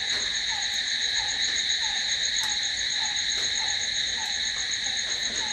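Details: Night chorus of crickets: a constant, piercing high trill that never pauses, with a softer dropping note recurring at a quick, slightly uneven pace beneath it.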